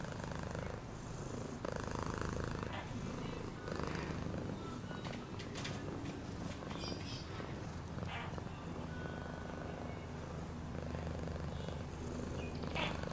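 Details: Continuous deep purring from a cat, a vibrating rumble that holds steady with small rises in volume and faint clicks above.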